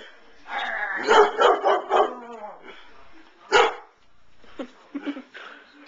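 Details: Pet dog barking at a stuffed toy giraffe: a quick burst of four or five sharp, harmonic barks, a lone loud bark after a pause, then a few softer, shorter barks.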